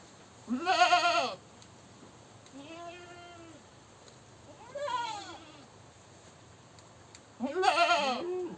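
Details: Goat screaming: three loud, harsh bleats with a wavering, quavering pitch, the first and last strongest and the middle one softer, separated by quiet pauses.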